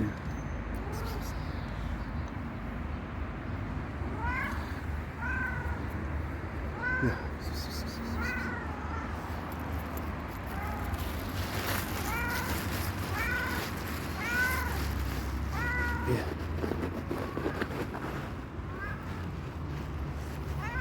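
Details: Homeless stray cat repeatedly meows while asking for food and care, roughly a dozen short bent meows at irregular intervals, with faint voices and a constant low hum behind.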